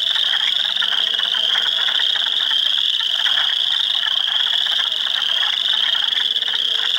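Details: Swamp full of spring frogs at Heartland Forest, Ontario, April 2, 2022, mixing Spring Peepers, Wood Frogs and Eastern Chorus Frogs: constant shrill high-pitched peeping layered over fast, chuckling croaks, steady throughout.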